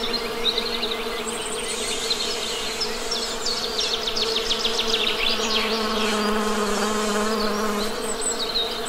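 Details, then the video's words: Honey bee buzzing, a continuous low drone whose pitch sags slightly near the end, layered beneath busy, rapid high-pitched birdsong with repeated chirps and twitters. "Best Honey Bee Sound!"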